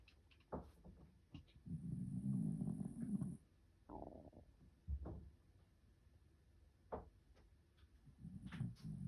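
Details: White Shiba Inu, still sleepy, snoring: two long, coarse, low breathy snores, the first lasting nearly two seconds, separated by short sharp clicks and a quiet pause indoors.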